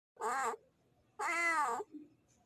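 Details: Male cat calling to a female in heat: two loud, harmonic, drawn-out meows, the second longer and rising then falling, with quiet room sound between.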